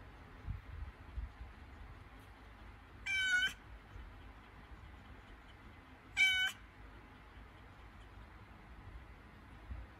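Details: Domestic cat in labour, during contractions before giving birth, gives two strained, harmonic-rich meows about three seconds apart, each roughly half a second long, over a quiet indoor background.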